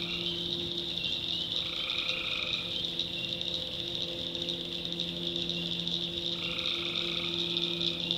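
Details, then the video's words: At night in the backwoods of North Carolina, a tree frog gives two prolonged buzzy calls about five seconds apart, each near a second long, over a ceaseless high-pitched drone of crickets and frogs. "Relaxing Swamp Sounds at Night - Frog Heaven - Frogs, Crickets, Forest Nature Sounds"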